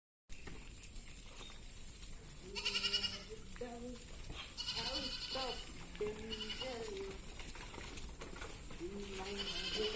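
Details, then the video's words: Black Bengal goats, males, females and kids, kept on a farm in Odisha, India: several wavering nasal bleats overlap at intervals, some loud and harsh, over steady farm background noise. "Black Bengal Goat"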